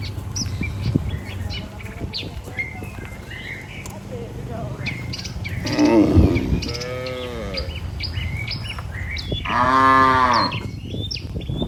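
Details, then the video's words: A healthy cattle herd walks together toward the barn with its herder. Two loud, drawn-out moos with rich layered tones come about three seconds apart, over steady rural background noise and frequent high bird chirps. "Suara Sapi Moo"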